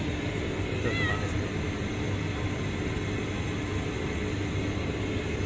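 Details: A kitten found under a pipe at a refinery gives a single short, thin mew near the one-second mark. The mew is faint beneath a steady, heavy drone of machinery.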